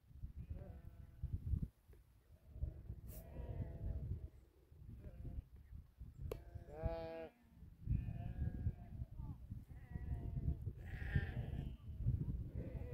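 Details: Large herd of about 2000 sheep guarded by eight Tibetan Mastiffs in rural Dhorpatan, Nepal: scattered wavering bleats from many animals, one louder bleat midway, over steady low rumbling wind and movement.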